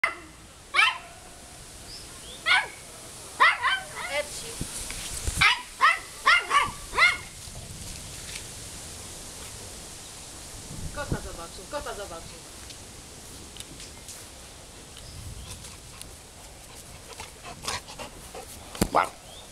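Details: A found Golden Retriever in Wołomin, Poland, gives a run of short, sharp yelping barks in quick bursts over the first seven seconds, then people talk nearby with scattered faint knocks and rustles.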